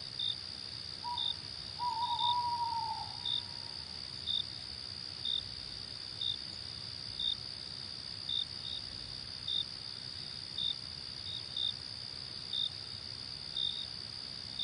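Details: Crickets keep up a continuous shrill trill while brief high chirps recur roughly every second in a calm wild night scene; an owl-like hoot, low and falling, sounds once early on.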